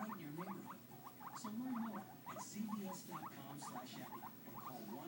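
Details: Two pet guinea pigs, white with black and white with brown, giving bursts of brief squeaky chirps while low, drawn-out humming purrs rise and fall beneath, each lasting about half a second.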